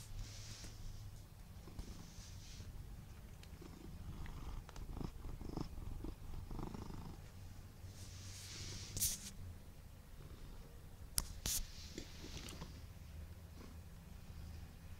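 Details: A portly male Siamese cat purrs steadily in a low, rumbling drone with a few soft clicks and rustles.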